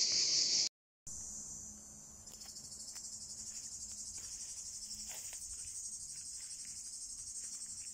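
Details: Cicadas in Drôme and Ardèche, France, on a hot summer day, males singing to attract females; a loud burst of high hissing, a short silence, then a thinner, higher, steady buzz with soft ticks.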